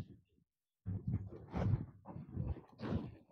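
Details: Free-ranging cattle in an oil palm plantation in Malaysia. After a short silence, a deep, rough, pulsing low call begins and continues for about two and a half seconds, swelling and fading in uneven waves with a husky upper edge.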